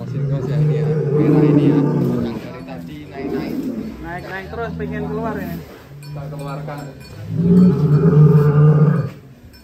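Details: Jumbo cattle are led out one after another at a pen contest. Deep, steady lowing moos come at the start and again near the end, with men speaking and background music between them.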